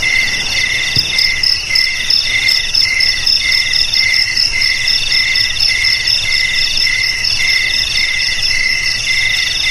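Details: Crickets in continuous high chirping, offered as a sound to drive rats from homes, garages, storerooms and rice fields; several layered shrill pulsed tones ring steadily throughout, with faint low background hiss.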